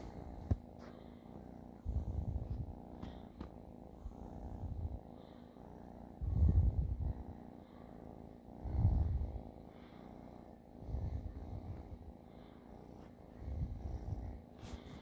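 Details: A domestic cat purring steadily. The low rumbling throb swells and fades in a slow breathing rhythm, roughly every two seconds, with faint background rustles.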